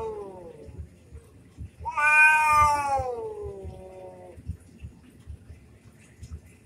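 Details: An orange domestic cat yowls in a fight. A faint falling moan comes first, then a loud, strained wail swells and slides downward for over two seconds. Quiet low knocks follow.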